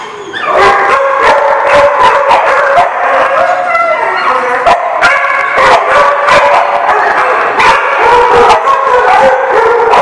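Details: Many dogs barking, yelping and howling together at a dog lot, recorded 2/10/18; dense overlapping sharp barks and whines, loud and continuous throughout.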